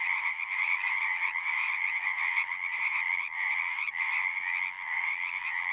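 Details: Frog chorus from a pond in a horse pasture: dense overlapping trills form a steady ringing drone, with slight swells and a few short dips in intensity, no other sounds present.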